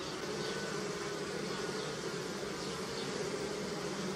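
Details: Steady, unbroken drone of numerous honey bees at flowering apple and pear trees and a hive, low humming bands holding level throughout the short stretch.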